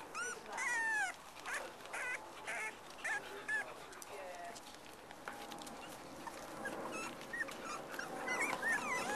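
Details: A litter of black and black-and-white Cocker Spaniel puppies playing with their mum: sharp squeaky yelps and whines at the start, then fainter squeaks amid rustling and a brief human voice.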